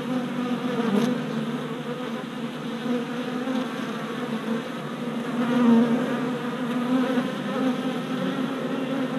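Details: Many worker honey bees circling a new deep hive body on orientation flights, recorded 27 April 2017 with an action camera; a thick, even, humming buzz that rises and falls gently, briefly louder near the middle.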